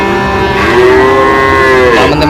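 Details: Sahiwal breed bull calf at a cattle market in Chuadanga, Bangladesh: one long drawn-out moo with a steady tone that wavers near the end, over background music.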